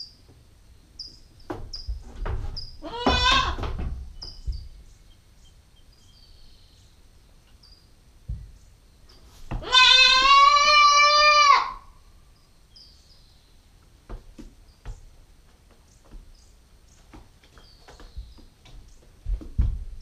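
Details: Female Nubian goat kid, 9 weeks old, caught on a GoPro: a brief harsh bleat early on, then a long, loud, steady bleat of about two seconds, with birds chirping faintly and occasional rustling.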